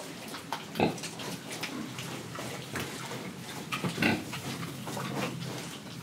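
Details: Pig in Indonesia grunting as it breathes and eats, two brief throaty oinks several seconds apart amid a bed of soft munching and rustling.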